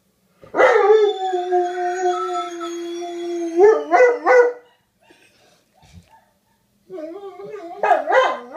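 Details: An old male dog and a young male howl as mating calls while a female is in heat on her second day. One long steady howl ends in short yipping bursts, a pause, then more wavering howls.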